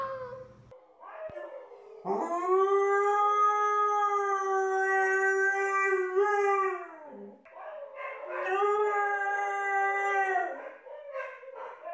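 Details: Husky howling: two long, steady, tonal howls, the first held about five seconds and the second about three, each preceded by short whiny yelps, in a quiet indoor setting.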